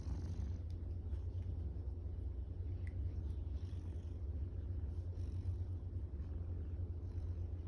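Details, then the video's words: A female tortoiseshell cat purrs steadily while being petted, a deep, continuous rumbling hum of contentment. "Cat making cute noises ゴロゴロが止まらない 開心呼嚕的貓"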